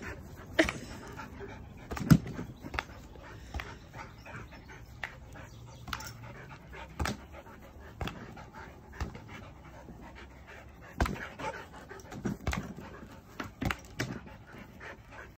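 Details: A Border Collie at play with a swingball pants in a continuous breathy rhythm, while intermittent sharp knocks from the ball and pole cut through the panting.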